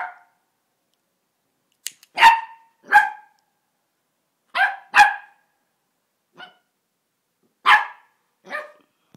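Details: Three-month-old West Highland White Terrier puppy excited by a lighter being switched on indoors, letting out sharp, clear, high barks, mostly in pairs, about eight barks over nine seconds with silent gaps between them.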